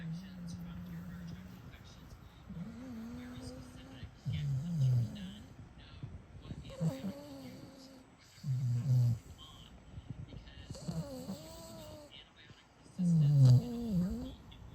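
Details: Goma, a female American Bully, sleeps with her eyes open while snoring: low, rasping snore bursts recur about every four seconds, with breathy quieter stretches and some humming or voice-like tones between them, indoors.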